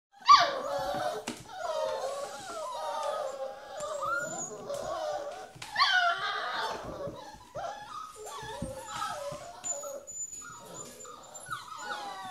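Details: Puppies shut in a small box on a morning while their pen is cleaned, hungry and ready for breakfast: many overlapping high whines and yelps rising and falling without pause, several pups calling at once in a small room.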